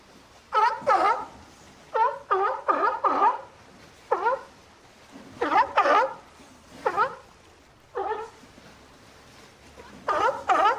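A sea lion gives loud, hoarse barks in short bursts of two or three.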